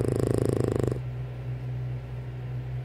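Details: A sleepy French Bulldog, being asked whether she is waking up for breakfast, snores with a fast, fluttering rattle for about a second, then a steady low hum remains.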